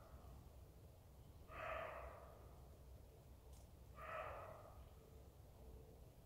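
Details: Roe deer giving a pair of short, harsh barks roughly two and a half seconds apart, each a gruff rasping burst, with quiet low background hum between them.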